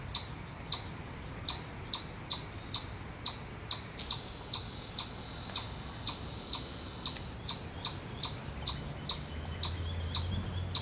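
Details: Chipmunk giving a predator warning call in Miller Park, Upper Arlington, Columbus, Ohio, USA: sharp, high chip notes repeated steadily about twice a second throughout, with a continuous high ringing tone in the middle and low background rumble.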